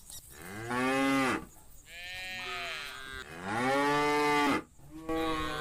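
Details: Tame cows herded together in a big field ringed by green trees, sunny day; several overlapping moos, long and rich, some higher and bending downward, calling back and forth almost without pause.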